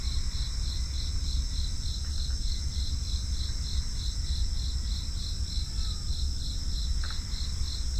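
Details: Continuous pulsed chirping of crickets, evenly spaced at about three beats per second, with a steady high whine above and low rumbling noise beneath, plus a couple of faint short calls.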